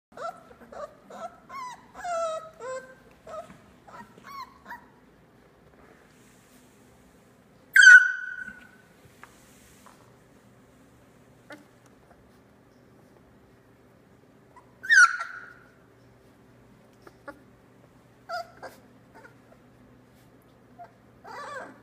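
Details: Litter of 3-week-old Australian Labradoodle puppies, eyes starting to open: a run of high whiny whimpers and squeaks, then sharper single yelps at intervals, with faint rustling between.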